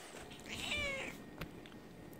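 A Bengal cat gives a single drawn-out meow that rises slightly and then falls, answering its owner.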